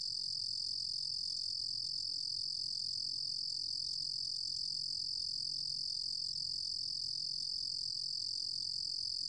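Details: Ruru-gom cricket (루루곰귀뚜라미) giving an even, uninterrupted high trill, a bright metallic buzz at steady volume throughout, over a faint low background hum.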